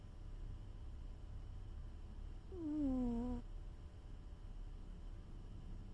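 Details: One sleeping cat gives a single squeaky snore midway, starting higher, sliding down and flattening out over nearly a second, with a constant low background drone before and after.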